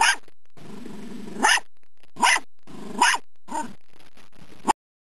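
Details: Dachshunds hunting a woodchuck: four loud, sharp barks over about five seconds, with low, rough growling rumbles between the first barks and a final short bark.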